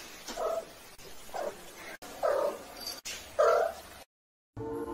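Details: Cat in a cute baby-cat compilation meowing again and again, short mid-pitched cries about once a second, each rising then falling, before a brief silence and a cut to a different sound.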